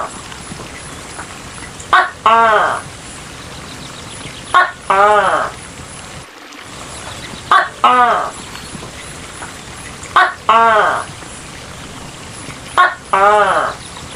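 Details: Giant tokay gecko calling five times, each a sharp clipped first note followed by a longer, nasal, ringing second note, the pair repeated about every two and a half seconds over a steady background hiss.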